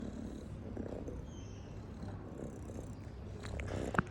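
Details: Domestic cat purring softly indoors, a steady low rumbling drone that continues throughout, with a faint tap near the end.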